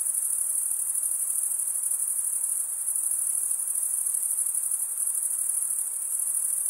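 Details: Chirping crickets, males scraping wing against serrated wing, form a bright, unbroken, piercing trill with a fine rapid pulse, steady in loudness from start to end, no other sounds.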